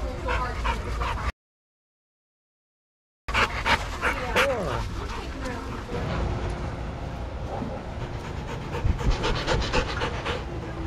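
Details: Shelter dogs at play in a yard at Pima Animal Care Center, Arizona, monitored by handlers; short yips, whimpers and rapid panting-like bursts mix with scuffling and people chatting nearby.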